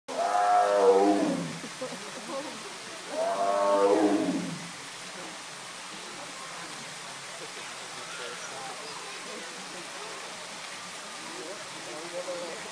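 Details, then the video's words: A tiger, apparently a mother, at the LA Zoo gives two deep, rasping growls about three seconds apart, with quiet voices afterward. "Tiger growling at LA Zoo Part II"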